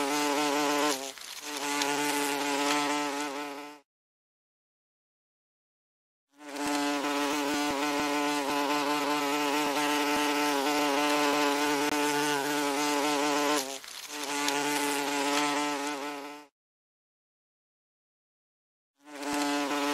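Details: A common wasp (Vespula vulgaris) buzzes in steady, harmonic-rich bursts separated by short silences.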